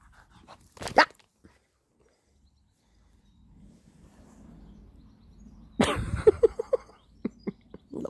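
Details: Male Irish red and white setter gives one sharp bark. After a quiet spell comes a loud burst, then a quick run of short, high yelping whimpers. A person nearby gives spoken commands.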